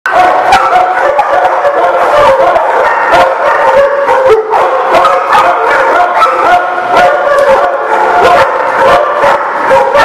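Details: Many dogs barking together in a dense, continuous chorus of overlapping barks and yaps, sharp bursts repeating several times a second with no pause, some higher whining tones woven through.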